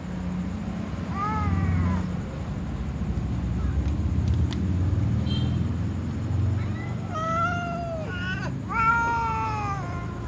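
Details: Tom cat and white cat among other cats before feeding, giving a short rising-falling meow early on, then a run of three or four longer, louder harmonic meows close together near the end over a steady low rumble.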